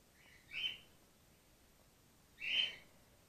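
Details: Gwickle, a baby grey-headed flying-fox in care whose concussed mother lost her milk, gives two short, shrill squeaks nearly two seconds apart, each briefly rising then fading, against a hushed background.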